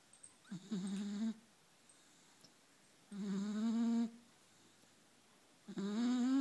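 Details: Snoring from a four-month-old pup deep asleep: three drawn-out, buzzing breaths, each slightly rising in pitch, spaced roughly two and a half seconds apart in a quiet room.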